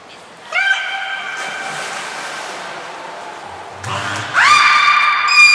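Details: Captive belugas Niko and Mirai during training at Port of Nagoya Public Aquarium, 29 February 2020. A long, steady harmonic whistle fades out. A low rumble and noise follow, then a loud, bright whistle rises in and holds.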